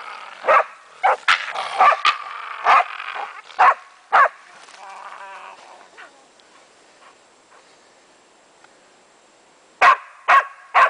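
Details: Barks from Meya, a German wachtelhund, during play with a raccoon dog: a run of loud sharp barks about twice a second, a quiet stretch of faint rustling, then three more barks at the end.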